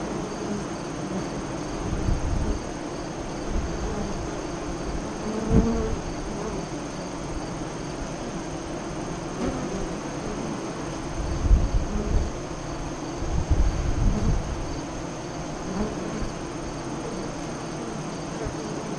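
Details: Honey bees at a west-facing hive entrance five miles east of Lyons, Nebraska, during the 2017 solar eclipse, 2:48 to 3:00 CDT. A low, steady hum with louder buzzing swells as individual bees fly close past.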